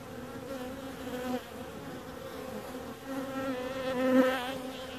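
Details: Droning bee buzz that holds a steady low pitch with bright overtones, swelling near the middle and again louder toward the end as the insect comes closer.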